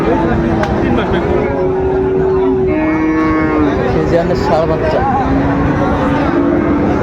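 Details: Cattle at the Raniganj market, Dinajpur, Bangladesh, 26 July 2024, where Friesian and crossbred bull calves are traded; several long, steady moos overlap one another beneath loud bargaining chatter and background vehicle hum.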